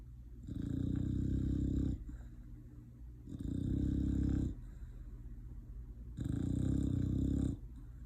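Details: English Bulldog asleep, snoring in low rumbling rasps lasting about one and a half seconds each, three rounds with quieter breathing between them; no clear bark heard.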